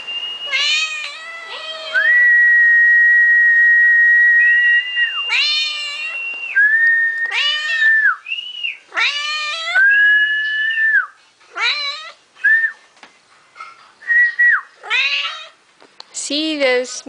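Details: Pet cat meowing in response to a person's whistling at home: several drawn-out, arching meows alternate and overlap with long steady whistled notes, the whistles sometimes held for seconds before the cat answers.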